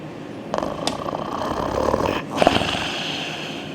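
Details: German Shepherd asleep after exercise, snoring: a short run of breathy, rasping snore bursts in the middle of a quiet indoor moment, fading into soft breathing.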